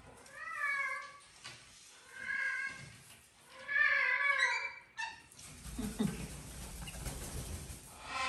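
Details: Domestic cat living in a house with exotic animals, playing with a sprig of a Christmas tree, gives three clear, harmonic meows about every one and a half seconds, then rustling and scraping noises.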